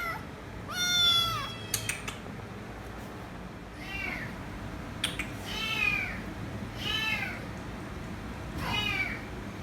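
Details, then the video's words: Kitten begging for head rubs with a few fainter meows, one clear long call at the start followed by softer, shorter cries and small clicks in a quiet room. "Noisy Kitten Meowing So Loud & Won't Stop Screaming Until I Give Head Rubs"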